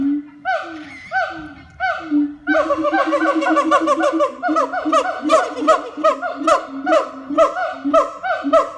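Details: Siamangs (Symphalangus syndactylus) at Taman Satwa Cikembulan zoo in Garut give loud, boisterous hooting calls that speed up into a rapid, rising and falling series.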